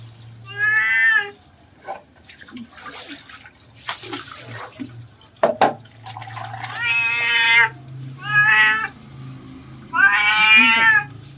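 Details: Cat protesting while being bathed, water poured on its head: four loud wailing meows, long and harmonic, between splashes, a person speaking softly and a low steady hum.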